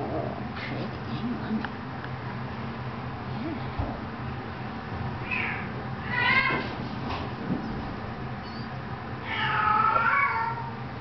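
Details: Two 18-day-old female kittens mewing: thin, high, wavering cries in short bursts at mid-clip, then a longer quavering mew near the end, over a steady low hum with a woman talking softly.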